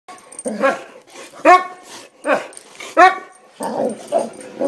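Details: Boxer dogs, several vocal and pumped up, giving excited harmonic barks and yelping whines at irregular intervals, with low grumbling growls in between and a faint human voice.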